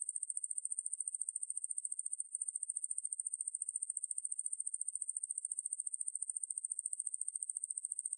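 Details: Ruspolia lineosa katydid from a 2020 National Institute of Biological Resources recording, giving an unbroken high-pitched pulsing drone that falters once briefly and then carries on evenly, against complete quiet.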